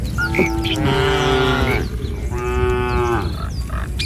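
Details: Tame village cattle walking in a line across a wooden bridge along a rice-field path moo twice, long steady droning calls, with faint high chirps and outdoor noise around them.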